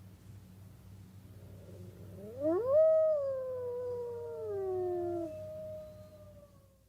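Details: A Tibetan wolf (Chinese wolf, Canis lupus chanco) howls a smooth, rising tone that peaks and then slides slowly down.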